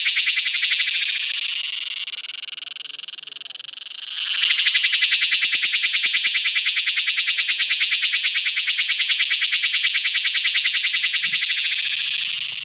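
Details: A male cicada's courtship calling song, a harsh, high-pitched buzz of very fast pulses that eases slightly for a couple of seconds, then surges back louder and holds steady.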